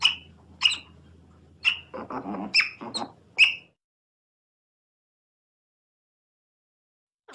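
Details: Otter letting out a handful of bright, piercing chirps with a brief scratchy squeal among them, followed by silence and one last faint chirp.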